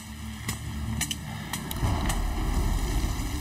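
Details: Wind-like low rumble with a few sharp clicks and knocks, and no animal voice heard.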